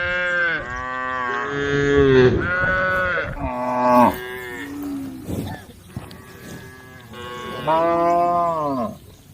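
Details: A herd of cows at the edge of a forest road mooing: several drawn-out, harmonic lowing calls, some rising and falling, in overlapping bursts with quieter gaps, faint music in the background.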